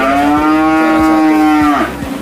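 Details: Limousin bull at a cattle fattening contest at the Nganjuk cattle market, Indonesia, 2020: one loud, sustained, steady-pitched moo lasting under two seconds, ending with a short falling tail, low thumps beneath.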